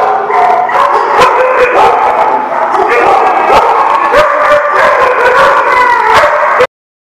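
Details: Dogs recorded on 16 December 2017, barking and howling together. Sharp overlapping barks repeat densely over sustained, wavering howl-like tones. The din is loud and unbroken, then cuts off abruptly.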